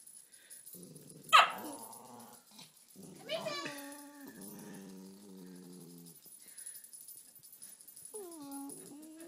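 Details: Cairn Terrier bitch guarding her stocking-stuffer toy from another dog, a Fox Terrier: one sharp yip, then long low grumbling growls that rise into a whine near the end, with a woman talking softly.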